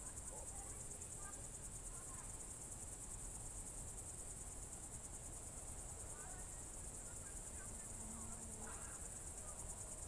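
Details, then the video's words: Evening chorus of crickets, June 2023, Novye Buregi tract in Russia's Novgorod Oblast: an unbroken high, rapidly pulsed trill holds throughout, with scattered soft chirps from other distant animals and a brief low hum near the end. "Звуки природы , сверчки"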